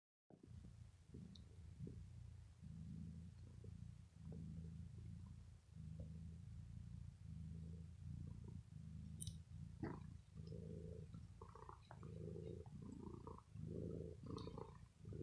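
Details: Pet domestic cat, said to be ill, purring after being pampered while it bites and plays with its owner's sweater indoors in the evening: a steady low rumbling purr in slow in-and-out cycles, with soft clicks and fabric rustles.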